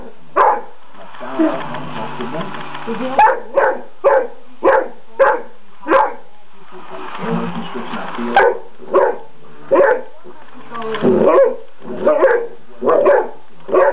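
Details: Oliver, a Great Dane, barking at a toy mouse, sharp, repeated barks roughly every half second to second, broken by stretches of rumbling grumble and mixed noise, with a constant background hum.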